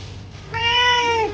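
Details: Kitten meowing indoors: a single drawn-out, slightly falling meow with rich harmonics lasting about three-quarters of a second, starting after a quiet pause, with faint soft music in the background.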